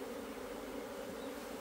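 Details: Brief steady droning of an Asian honey bee colony in its hive, 26 September 2023, as the bees dig out the food comb; an even, continuous hum.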